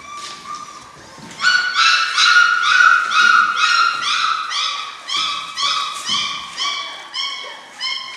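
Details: German Shorthaired Pointer puppies, six weeks old, from one litter, whining steadily in a run of about fourteen bright, harmonic yelping whines, each roughly half a second apart, after a softer opening whimper.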